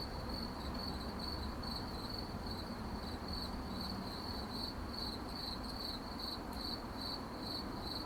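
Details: Crickets calling at night, a shrill pulsed trill repeating several times a second without pause, faint extra higher ticks above it, and diffuse low background hiss.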